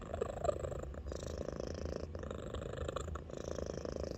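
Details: Alani, a little 8 lb pet cat with an unusually loud purr, recorded 3/13/23; a steady, rumbling low purr with rapid pulsing, continuous throughout with brief breath breaks near one and two seconds.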